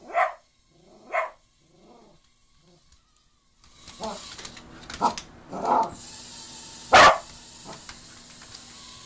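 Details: A Cocker Spaniel gives sharp, repeated barks reacting to a mini drone, whose steady mechanical hum sounds in the background.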